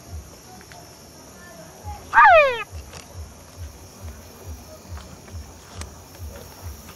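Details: Calling male Engystomops pustulatus at La Mana in Cotopaxi, Ecuador, gives a single loud, harmonic-rich whine that drops quickly in pitch, standing alone against quiet background with steady low pulsing thumps and faint clicks.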